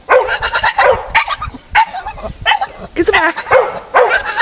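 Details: A male Staffordshire Bull Terrier chatters in quick, speech-like bursts of short grumbles, whines and yips that rise and fall in pitch, with brief pauses, amid laughter and someone urging him to fetch something back.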